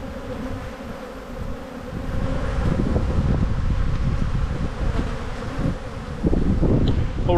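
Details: Bees in a busy spring hive during an inspection as the colony builds up, with a steady low hum and faint tonal bands, then rougher rumbling from handling and wind near the end.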